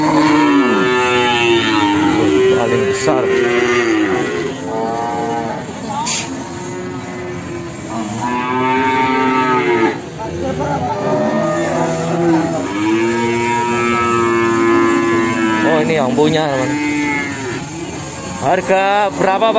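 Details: Jumbo Simmental cattle at the Sragen livestock market, including a big animal called Syahrini: a steady run of drawn-out, arching moos, often overlapping, with market chatter, some background music and vehicle noise behind.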